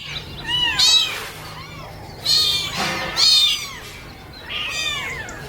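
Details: Kittens calling for their mother's milk while crawling around; high-pitched arched mews in clusters roughly every second or two, overlapping voices, faint low hum beneath.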